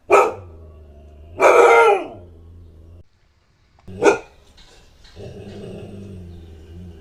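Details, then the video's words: A Siberian Husky barks sharply, then gives a longer rough bark, pauses, barks again, followed by a low droning background hum. "OUÇA O SOM DE LATINDOS E GANIDOS DO LINDO CACHORRO HUSKY SIBERIANO"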